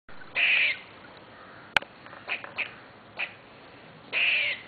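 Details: Wild squirrel living in a tree outside a window, behaving excitedly, gives two harsh, raspy bursts at start and end with a few short scratchy chips between, plus one sharp click.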